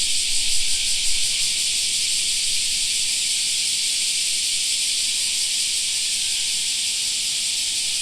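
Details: Continuous high, hissing buzz from a mass of cicadas in a park in summer, steady and unvarying across the whole stretch, with faint low ambient noise.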